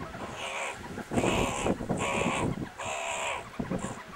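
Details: Meerkats playing rough and tumbling at the Kalahari Wildlife Sanctuary give harsh, raspy bursts of calling, each lasting about half a second, in quick succession.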